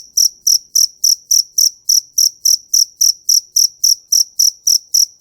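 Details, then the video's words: Sharp, ringing cricket chirps repeated at a brisk, very regular pace of roughly three and a half per second, each pulse bright and high, with a faint low thump accompanying every chirp. "Tiếng Dế Kêu"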